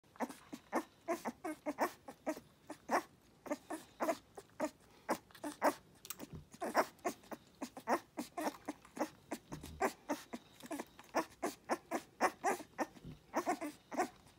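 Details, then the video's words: Dogue de Bordeaux puppies nursing: rapid, uneven smacking and clicking suckling noises about once a second or faster, with soft squeaks and breathing mixed in. "Dogue De Bordeaux puppies at the milk bar."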